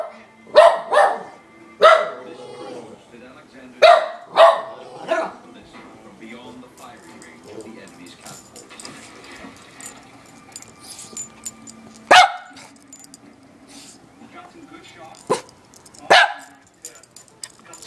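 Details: Papi, a pet dog, reacting to the doorbell with a cluster of sharp barks over the first five seconds. Only scattered single barks follow, with faint voices and household noise in the background.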